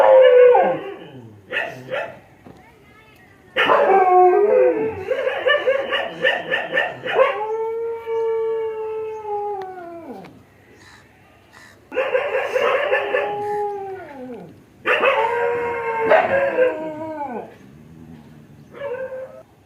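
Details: Dog producing a series of howls and yelps over twenty seconds: clustered harsh cries, a long descending tonal wail around seven seconds, then more bursts of pulsing, falling calls with short quiet gaps.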